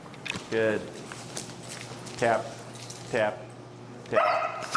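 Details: Finn, an extremely vocal dog, during an e-collar recall lesson: four short, high, strained yelping whimpers with a harmonic, wavering tone. They come in separate bursts about a second apart, with a steady low hum and quiet background between them.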